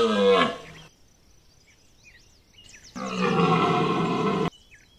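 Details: A red deer stag rutting at Chambord in September 2021 bellows in two deep, rough, drawn-out roars, with small birds chirping between them.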